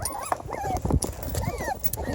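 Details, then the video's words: Several five-week-old Beagle puppies, very active after a meal of kibble and raw food. Thin rising and falling whines repeat over a low rumbling background of movement, with some handling noise. "5 week old VERY VOCAL Beagle puppies!!"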